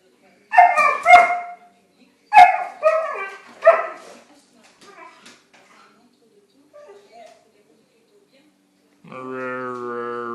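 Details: Siberian Husky letting out several quick, tonal yelps in pairs, then soft, faint murmurs, and finally a steady, low, drawn-out harmonic tone.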